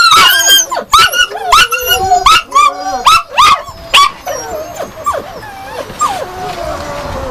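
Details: Yakutian Laika with a series of clipped rising barks about two per second, fading into softer whining tones.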